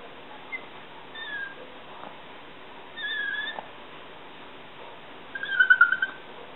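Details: A female Yorkshire Terrier gives high, squeaky, dolphin-like whines while begging for a snack.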